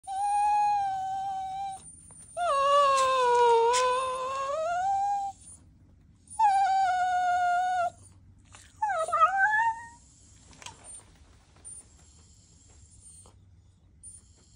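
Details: Cavalier King Charles Spaniels waiting to go out give long, high, tuneful whines that sag in pitch and then rise again; Cavalier King Charles Spaniel.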